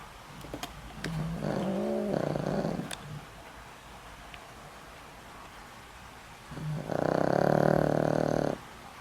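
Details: Deep, vibrating snores with a tonal, almost humming edge from Boram, a house dog over twenty years old with a failing heart, sleeping: one long snore early on, a pause, then a louder two-second snore.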